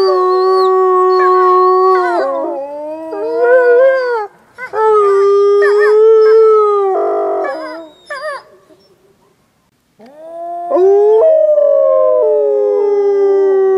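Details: Playful wolves at Wolf Howl Animal Preserve on a snowy day: several steady howls layered with choppy, rising and falling yips, a quiet pause, then a fresh long howl rising in pitch before settling.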